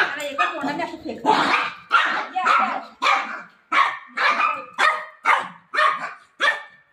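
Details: A golden retriever, eager to find its owner and playing with her, gives a run of short sharp barks roughly every half second, with a human voice mixed in between.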